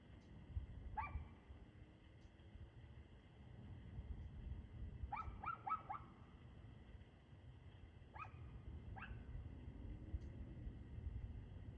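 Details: A barking dog recorded on 2/6/2024 at 6:02 pm: a single bark, then a rapid run of four barks, then two more spaced barks, all set against constant low-frequency background rumble.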